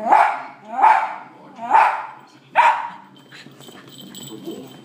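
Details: Indoor West Highland White Terrier barking at dogs shown on a TV: four quick sharp barks in under three seconds, then quieter television voices and clatter.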